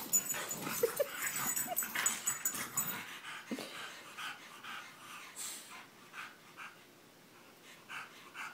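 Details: A French Bulldog and an English Bulldog wrestling together in a second round of play, giving loud breathy snorts and wheezes in quick irregular bursts, busiest in the first three seconds, then softer scattered huffs.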